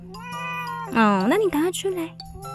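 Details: Domestic cat, one of a family's eight adopted former stray cats, meowing indoors at home in summer: a harmonic-rich meow dipping low then rising and falling, followed by two shorter, fading meows, over steady background music tones.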